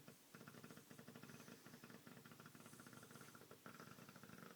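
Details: An Olde English Bulldogge snores like a human with a rough, rattling, fluttering rumble that rises and falls with its breathing.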